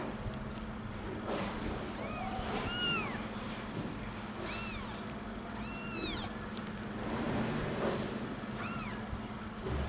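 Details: One-week-old domestic kittens searching for their mother's milk give high, thin mews that rise and then fall. Several calls come close together in short bursts over a steady low hum.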